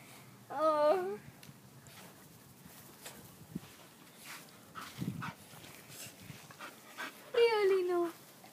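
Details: Dog whining as Frijol and Jody meet and sniff each other: two short high, wavering whimpers, one near the start and one near the end, with a woman talking softly in between.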